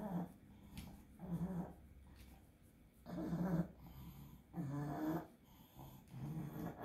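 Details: Pug fighting an epileptic seizure caused by encephalitis; harsh, low wheezing and snorting breaths in uneven surges about every one to one and a half seconds.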